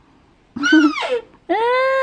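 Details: On a hot late morning, about 11 am on Sunday 7 May, farmed Rusa deer give loud, nasal, harmonic bleats, one bending downward and one held steady, calling because they are hungry and waiting for cut grass.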